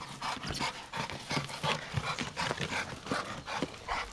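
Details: American Bulldog panting in quick, steady breaths, about three per second, each a soft, breathy rasp that repeats without pause through the whole stretch.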